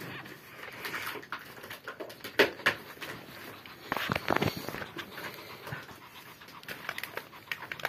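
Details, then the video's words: Chihuahua during breeding, breathing in fast, uneven panting with occasional thin whimpers and a few louder breathy bursts near the middle. "chihuahua briding"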